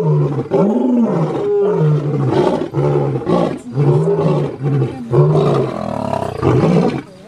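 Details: Asiatic lions in Gir National Park, Sasan, seen on safari, give a series of deep, rumbling roars and grunts in quick succession.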